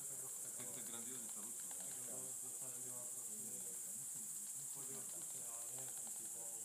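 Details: Roosting greater mouse-eared bats at Ratkova give crowded bursts of quick, squeaky twittering calls, overlapping without pause, beneath a continuous high-pitched hiss.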